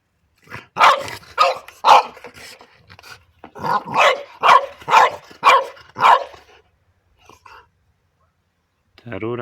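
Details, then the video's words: French Bulldog playing indoors and barking at its favourite toy, an orange pipe: a run of about eight sharp, punchy barks in quick, uneven succession, then a pause, with a person talking to the dog. "Buldog francuski Bodzio zabawy szczekanie do rury"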